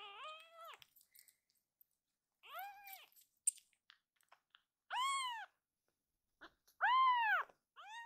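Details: Rescued baby kitten Akuro, in foster care, suddenly crying loudly. Four drawn-out, arching meows come at irregular gaps of about two seconds, with soft clicking and handling noises between them indoors.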